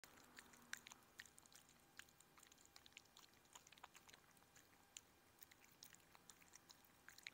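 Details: Chihuahua named Odie eating a meal of shredded chicken, veggies, blueberries and raw lamb; quiet, irregular crisp clicks and wet smacks of chewing scattered through the clip, with a brief low hum near the start.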